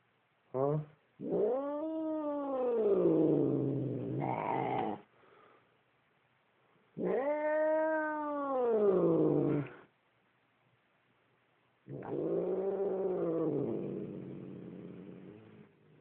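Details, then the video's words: Domestic cat, upset and growling at its owner, gives three long moaning yowls, each rising then sinking over several seconds, separated by short pauses, with the man speaking softly in the gaps. "Evil Cat Growling"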